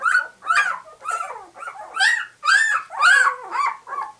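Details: White English Cream Golden Retriever puppies aged two weeks, eyes just opening, whine in short rising-and-falling squeals roughly twice a second, shrill and slightly rough.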